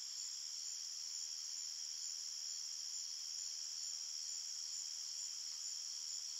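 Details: Crickets chirp at night in a forest in a dense, high-pitched chorus, a steady shimmering trill with no pauses.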